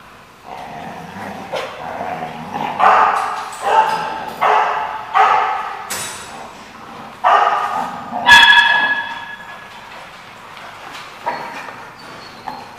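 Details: Dog at The Barking Lot on 24 July 2015, barking in a lively series of loud, harmonic barks about once a second, some short and sharp, others drawn out, with a higher yip near the eighth second.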